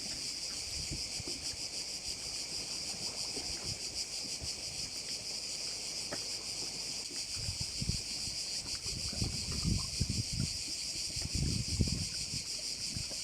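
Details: Crickets at a bay on Korčula, Croatia: a dense, high, shimmering buzz of many insects that pulses about three times per second throughout, with low wind rumble and gusty thumps growing stronger in the second half.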